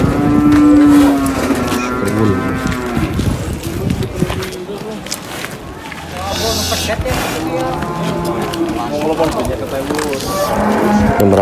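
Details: A large cow being unloaded at a cattle market lows in deep, drawn-out harmonic moos, one at the start and another mid-clip, over a busy backdrop of crowd chatter and men talking in French.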